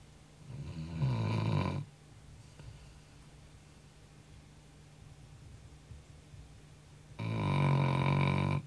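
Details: Sleeping Labrador Retriever, a family dog worn out from running, snoring loudly at night: two long, deep, rattling inhalations about six seconds apart with quiet breathing between.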